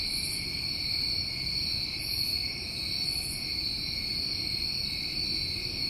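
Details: New England summer crickets produce an unbroken high, thin, ringing chorus, with a few soft higher chirps repeated over it and almost no low-frequency sound.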